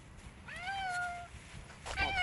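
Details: Stray domestic cats, one of some twenty in a group being fed bread and cheese outdoors in the sun; a clear falling meow is followed by a second shorter meow, with a person speaking Russian nearby.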